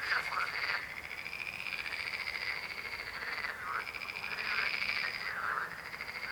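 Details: Frogs croaking in long rattling, pulsed trills broken by short gaps, with a few croakers overlapping in a dense chorus.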